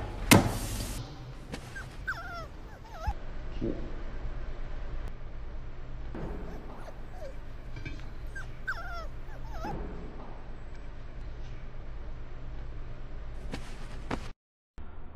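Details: A puppy from a compilation of funny dog moments gives short, high, whining whimpers that bend upward, in small clusters a few seconds apart, over steady background hiss with a sharp thump near the start.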